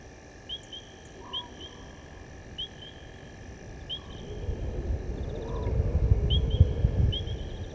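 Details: A male lion, known as S8, roars after crossing the dam wall at Gowrie dam, Djuma Game Reserve, Sabi Sand, South Africa, at 19:47 on 18 August 2022. A deep, swelling roar builds from mid-clip beneath steady, repeated chirping frog calls.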